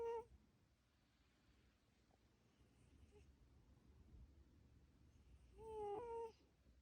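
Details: A soft whistled snore from Coco the cat fades out at the start. Quiet low hum follows, then a second wavering, slightly rising nasal whistle near the end.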